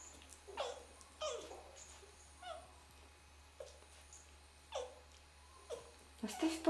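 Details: Red fox calling quietly: a few short, downward-sliding whines at irregular intervals over a soft background, with Russian speech nearby.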